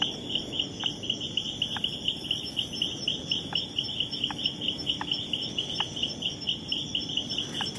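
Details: Territorial Leptodactylus troglodytes frog driving off a rival, with short rising whistles repeated roughly every second. A dense, shrill cricket chorus pulses continuously behind the calls.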